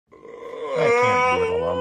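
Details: Llama screaming: a single loud, drawn-out wail, rich in harmonics, that swells quickly and holds strong for over a second.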